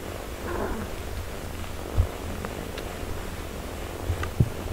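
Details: Mother cat caring for her four-day-old kittens, a steady low purring rumble running throughout, with a faint soft harmonic sound early on and a few brief knocks.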